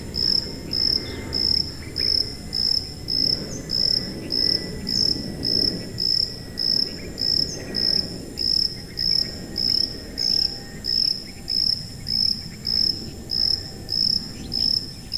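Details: Cricket, offered as a high-pitched masking sound for tinnitus relief: steady, shrill, buzzy chirps repeated about every 0.6 seconds over a soft low rumble of background noise.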